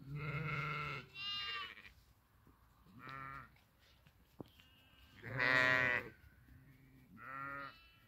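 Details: Grazing sheep bleating: four separate wavering, nasal bleats of about half a second to a second each, spread over eight seconds with quiet gaps, and brief Italian speech nearby.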